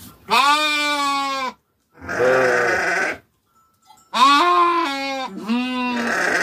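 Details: Sheep on a farm, tended by their keeper, give loud, steady, nasal bleats, each held for about a second. Short pauses separate the calls, and two bleats nearly overlap toward the end.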